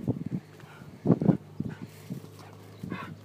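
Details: Red Border Collie watching a gate gives short, low, gruff woofs in a few separate bursts, the loudest pair about a second in, with a quiet outdoor background.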